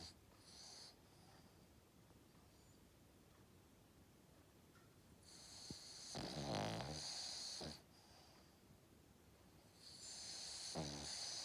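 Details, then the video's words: Cavalier King Charles Spaniel sleeping and snoring, mostly soft hissing breaths, then one louder rattling snore and a second raspy inhalation near the end, in a quiet room. "Dog snoring 犬のいびき"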